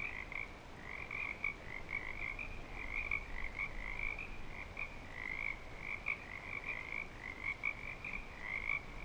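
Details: Frogs back in breeding season at Clearwater Commons, calling in a dense overlapping chorus of short trilled notes with a softer lower band, pulsing continuously without pause over a low background rumble.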